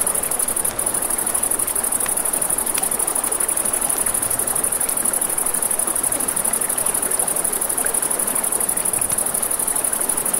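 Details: Night-time crickets near a riverside campfire, their shrill continuous trilling holding level from start to finish, while the river's broad hiss fills the background and occasional faint snaps of burning wood break through.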